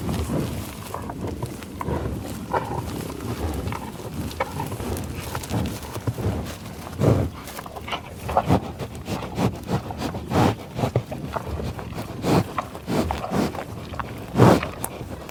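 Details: A bison on the tallgrass prairie near Pawhuska, Oklahoma, breathes noisily, with rough, airy sniffs and snorts in short bursts at irregular intervals, and soft low rumbles and shuffling between them.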